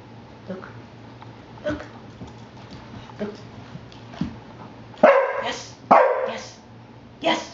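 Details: A female domestic dog in training gives a few loud, sharp barks as she brings a phone on the "911" command, a trained distress signal meant to tell an emergency operator that help is needed.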